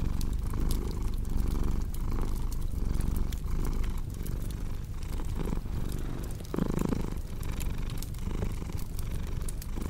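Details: House cat purr mixed with cozy fireplace ambience: low rhythmic rumbling swelling and fading about forty times a minute, overlaid by bright snapping crackles of burning wood.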